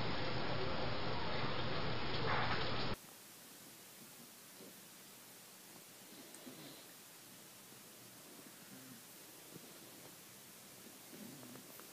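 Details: A loud burst of static gives way to a faint, steady indoor hiss with soft rustling.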